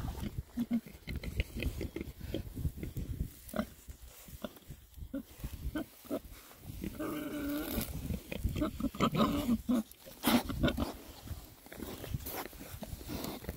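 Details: Six rare breed Oxford Sandy and Black boars on a winter forage between storms; frequent low grunts and oinks, with a longer, more tonal squealing grunt near the middle and rooting sounds.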